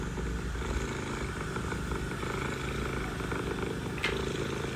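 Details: Mother cat purring while talking to her kittens; a steady low rumbling purr with fine rapid pulsing runs throughout, over a constant background hum, with a brief sharp click near the end.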